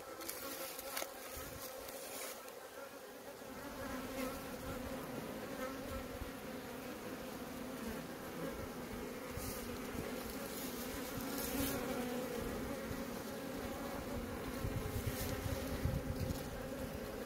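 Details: Honey bees at a hive in Maine-et-Loire, France, licking at a drop with their tongues: a dense, continuous droning buzz from many bees that swells slightly toward the end, with faint rustling and knocks.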